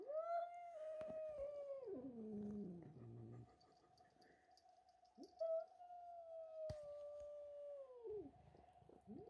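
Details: George, a house cat, yowling in anger at Milo, a young kitten that arrived and stole his tuna; long sustained wail bending downward into a low growl, a second drawn-out yowl follows, over a constant tonal hum.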